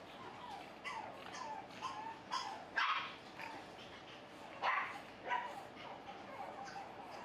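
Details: Male Pug puppy Finn, fawn AKC-registered, barking while playing: sharp high yappy barks in an irregular run, two louder bursts standing out, with quieter yips between and a soft indoor hum behind.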